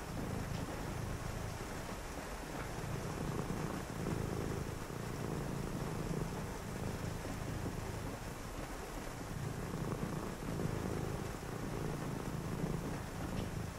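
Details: A cat purrs contentedly on a rainy night as someone reads: a low vibrating rumble in breath-long stretches separated by brief gaps every few seconds, with rain hissing throughout.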